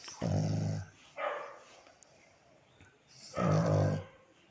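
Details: Black pug Coco, a male dog, asleep next to his mom: low, rough snores, a short softer one between two loud rumbling breaths about three seconds apart.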